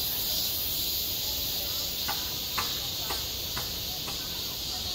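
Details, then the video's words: Cicadas at a school playground in high summer, self-recorded: an even high shrill drone, with sharp clicks repeating roughly every half second during the second half. "한 여름 운동장에서 매미가 울고 있다 - 여름의 소리, 학교 종소리, 매미 울음소리"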